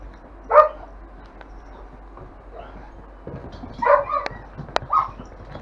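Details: Five-week-old longhaired German Shepherd puppies in a kennel litter yelp in short bright bursts, one early and a cluster of three later, with faint clicks and knocks in between.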